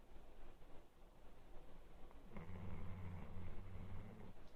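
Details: Labrador Retriever named Rukura snoring while asleep: quiet rustling at first, then a low, droning, buzzy snore rises from midway and holds steady for about two seconds before fading into soft background noise.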